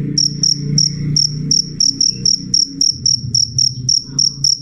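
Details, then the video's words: Piercing high chirps of a cricket (jangkrik), loud and clear, spaced roughly every quarter second, over a noticeable low humming murmur in the background. "suara jangkrik jernih keras"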